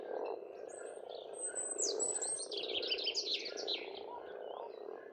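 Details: Frog chorus at a pond on a farmstead in Estonia in spring: a dense, continuous croaking murmur fills the low range while songbirds sing over it with bright whistled, trilling phrases.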